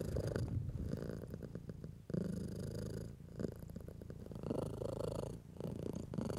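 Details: Domestic house cat purring while being stroked by a person: a low, rumbling, steadily pulsing purr in long phrases, broken by short pauses for breath about every one to three seconds.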